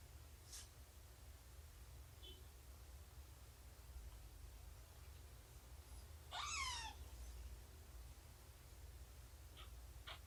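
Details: Cats indoors during morning snuggles, nursing and play around Shelby, a rescued mother cat of about two years. One clear, falling kitten-like mew with stacked overtones stands out near the end, amid soft clicks and a steady low background hum.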